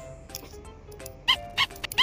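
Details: A pet sugar glider crabs, giving short, harsh, squeaky bursts that mean it is frightened or angry and is trying to scare a person away to protect itself, over soft music.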